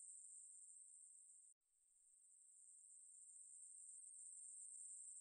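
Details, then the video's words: High continuous buzzing of a Ruspolia katydid, from 2020 National Institute of Biological Resources material, cuts out abruptly for a split second near the start, then swells gradually back to its even, sustained hiss. "매부리, 여러번 듣기, 곤충소리"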